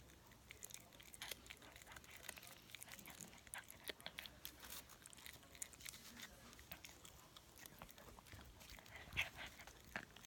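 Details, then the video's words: A puppy eats a snack indoors, crunching it noisily: dense dry cracks and crisp bites come in rapid irregular bursts, with soft chewing between them and a quiet room behind. "간식 먹는 강아지"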